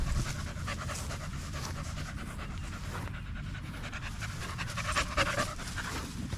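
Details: Staffordshire Bull Terrier out for a long evening at the park among other male dogs, breathing in fast, rough, breathy pants that run steadily through the clip with no voices nearby.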